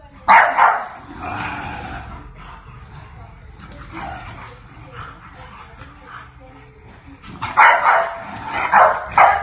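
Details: Bulldog puppy asserting boundaries toward its new sister at home: a loud yap at the start, a long stretch of quieter rustling and grumbling, then a final cluster of three or four sharp high barks.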